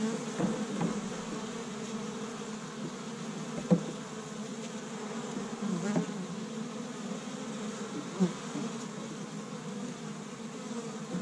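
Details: Honey bees busy at an established hive on the first warm day of spring in Michigan, gathering pollen from tree buds; a steady low droning hum of many wings, with a few brief louder passes of single bees close by.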